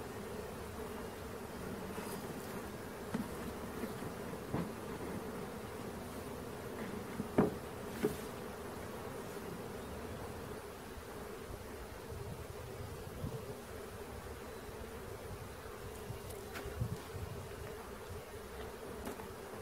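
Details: Honey bee swarm being caught hums in a dense, steady buzzing drone that barely varies over nearly twenty seconds, broken only by occasional faint clicks and taps.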